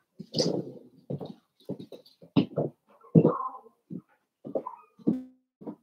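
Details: Cavalier King Charles Spaniel puppies playing together in an indoor home puppy pen, giving a rapid run of short, rough growls and yips in uneven bursts, with brief squeaky notes between them and quiet pauses throughout.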